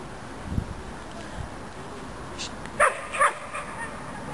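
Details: Six-month-old female dog, half German Shepherd and half German Shorthaired Pointer, at frisbee play in the park, lets out two quick harmonic barks close together near the end over a low outdoor rumble.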